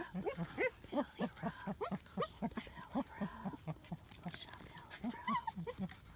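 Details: Young German Shepherd puppies, nearly nine weeks old, at play outdoors in Florida on 14 February 2017. Steady run of short, rough yaps and growly barks, some higher squeals mixed in, over about six seconds.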